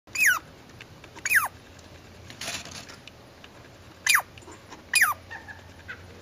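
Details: Squirrel giving four sharp squeaky calls, each a quick downward-sliding note with a clicky start, in two pairs separated by a pause, over a faint steady hum.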